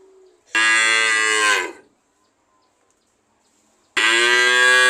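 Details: A cow lows loudly for just over a second, the tone sliding downward as it ends; silence follows before another forceful moo begins.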